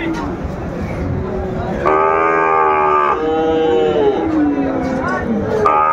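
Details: Sahiwal bull calf at a Narsingdi cattle market, 24 January 2025: a strong, steady bawl of about a second and a half, followed by lower wavering moos, with a busy market crowd behind.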